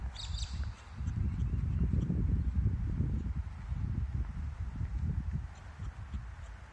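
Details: Kangaroo's probable courtship call outdoors: dense, irregular low throaty pulses in quick succession, about four per second, swelling after the first second and then easing off, with a faint high bird chirp at the opening.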